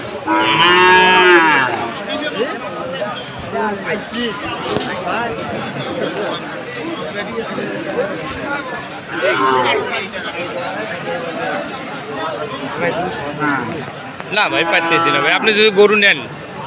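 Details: At a Khulna sale of Sahiwal bull calves on 7 January, loud bellowing moos break out at the start, in the middle and near the end. Busy market chatter and people's voices fill the gaps.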